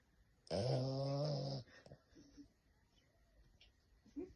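A French bulldog lets out a single drawn-out snore, a low, rattling buzz with a rough, noisy edge that stops abruptly after about a second. The room then falls quiet, with only faint soft breathing afterwards.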